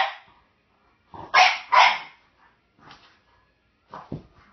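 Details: French Bulldog wanting the bone a jack russell/rat terrier mix has, indoors: two loud raspy barks back to back, followed by quieter whines and short grumbling yips.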